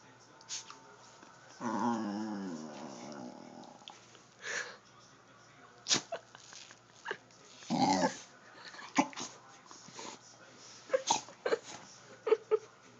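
A dog gives an odd, drawn-out whining groan, then a string of short snorts and huffs.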